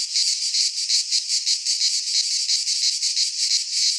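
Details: Greek pine-forest cicadas in midsummer give a short burst of loud, hissing buzz, pulsing regularly about three times a second in clear throbbing waves.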